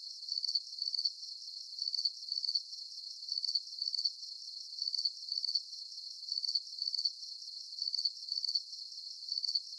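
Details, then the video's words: Crickets chirping at night under a full moon. Thin, high, pulsed chirps repeat steadily, about forty per minute, in short paired bursts over a quiet, still background with no other sounds. "Звуки природы Ночь Сверчки"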